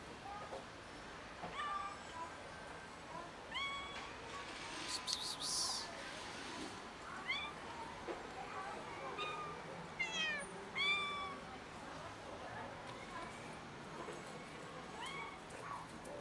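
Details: Six hungry street cats fed regularly in the neighbourhood, meowing loudly when hungry: a steady run of short and drawn-out meows from several cats, some sharp and upward-bent, with a brief hissy noise burst and light outdoor sounds.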